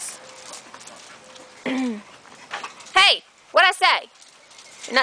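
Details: Blue nose Razor's Edge pit bull puppies, a litter playing outside in a yard with their mother and older sister nearby: a series of high, arching, downward-sliding yelps and whines in short bursts, over rustling, with a person talking.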